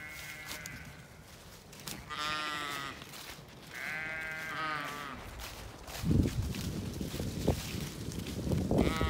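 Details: Zwartbles sheep flock on a farm in County Kilkenny, Ireland, following through the field at dusk in anticipation of food; two long wavering harmonic bleats near two and four seconds, then footsteps and rustling handling noise.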